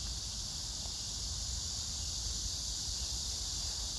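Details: Cicadas give a steady, high, hissing drone running unbroken through the summer air, recorded 9 August 2024 at Hwarang Park by the Gyeonggi Museum of Art, Choji-dong, Danwon-gu, Gyeonggi, among pink crape myrtle blossoms, with other insects calling.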